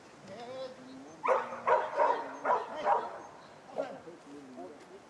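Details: Barking Schapendoes during agility training: a run of five rhythmic barks about every half second, then a softer one, over a person's steady voice.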